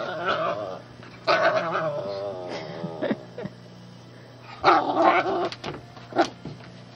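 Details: Shih tzu puppy bothering the household cat, giving bursts of rough, wavering growls and whiny harmonic vocalizations separated by short pauses, over a steady low electrical hum.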